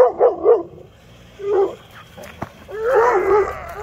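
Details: Weimaraner on an autumn sunrise walk, barking after seeing his pal driven away in a car toward a high school: two quick barks, a single bark, then a longer whining bark, with people talking nearby.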